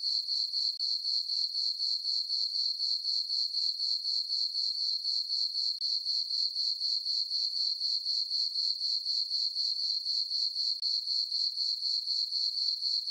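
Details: Summer night on a farm, crickets in a moonlit meadow keep up a continuous shrill chirping, evenly pulsed roughly four beats per second throughout, unbroken and free of other noises.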